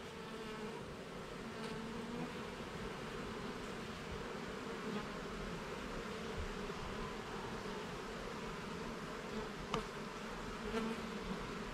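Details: Steady hum of honey bees while a hive is inspected level by level and frame by frame in a garden; continuous wavering buzz with occasional faint clicks of handling.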